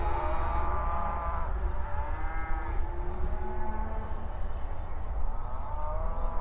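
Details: Open range cattle grazing on pasture, mooing and communicating with each other; overlapping drawn-out lowing moos, several animals calling, over steady low rumbling background noise and a constant high hiss.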